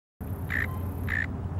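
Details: A mole cricket at JF Gregory Park, Richmond Hill, Georgia, on 18 November 2023 gives two brief, steady buzzing trills against a heavy low rumble.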